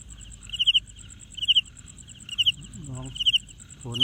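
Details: Cricket producing sound by rubbing its wings together: short bright chirps of three to four rapid pulses, roughly once per second, over a fast, steady, very high ticking; a couple of brief sliding sounds near the end.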